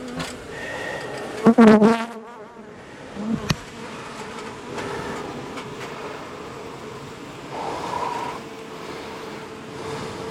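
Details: Honey bees from a long-time colony in a house wall turn angry as darkness falls during a March 6 cutout rescue; a brief voice gives way to a continuous, even buzzing hum that swells slightly near the end.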